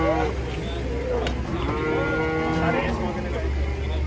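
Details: Angry, oversized cattle coming off a truck give low, harmonic moos that bend upward and then fade. A constant engine drone is heard, with people talking nearby.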